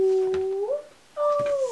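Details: Nanka, a pet husky, vocalising indoors as if talking: a smooth drawn-out tonal howl, level then sliding up, a brief pause, then a second higher howl gently falling away, clear harmonics throughout.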